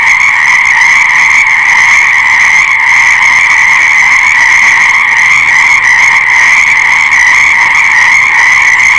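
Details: Frog chorus heard as a dense, unbroken wall of overlapping trilling calls, steady and loud throughout, with bright layered tones and no pauses or other clear sounds.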